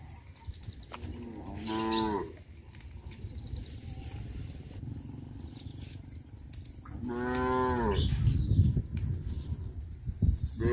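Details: Cows on a traditional village farm, moving about the village streets. Two long, rising-then-falling harmonic moos come about five seconds apart over a low background rumble.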